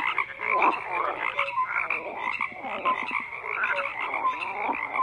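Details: Many frogs croaking at once, a thick layer of rattling, pulsed calls with a steady high band, plus occasional short clear tonal notes, continuous without pause.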